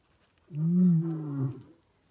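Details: Giant male lion roaring as it passes a vehicle: a single deep, drawn-out roar about a second long, strong low harmonics holding steady then tailing off, with quiet surroundings.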